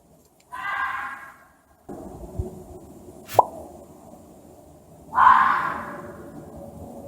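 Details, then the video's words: Angry fox howling and screaming: two harsh, hoarse bursts about four seconds apart, the second louder and longer, with a faint click and low background hum between them. "Som de Raposa, Ouça o Barulho de Raposa Uivando, Brava, Gritando (Fox Sound)"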